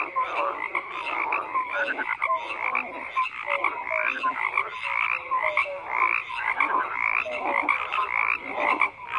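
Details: Numerous frogs call at once, making a busy wall of croaking with rapid repeated rasps and scattered short tonal notes throughout.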